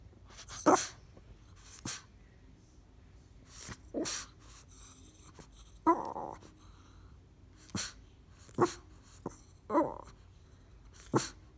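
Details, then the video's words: Boston Terrier named Lola grunting and sneezing when she doesn't get what she wants, indoors; short sharp sneeze bursts and brief breathy grunts spaced irregularly every one to two seconds in a quiet room. "Boston Terrier Lola grunts"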